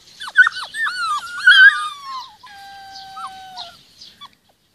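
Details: Rhodesian Ridgeback puppies, 46 days old, with their mother in the garden; a few squeaky yelps followed by a long, drawn-out falling whine that fades out, with quiet chirps after.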